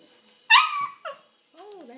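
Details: Six-week-old Bernedoodle puppy vocalizing indoors on Christmas: a loud, harmonic, slightly falling yowl lasting about half a second, a short second yelp, then a softer wavering whine, with a woman speaking just before and after.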